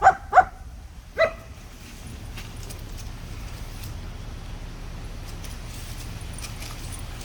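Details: German Shepherd puppy Sangi at play with sticks gives three quick barks in the first second and a half, then falls quiet over a low background hum.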